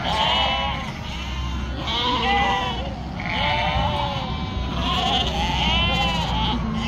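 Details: Sheep raised in northern Spain, around a poor yearling ewe; loud, shaky, arched bleats repeat about once a second, overlapping each other, over a droning low background.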